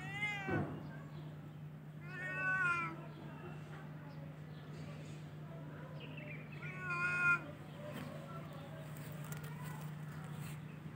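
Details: Cats in spring meowing at intervals: three or four plaintive, harmonic meows spaced a few seconds apart, some rising then falling, over a steady low hum with faint background clicks.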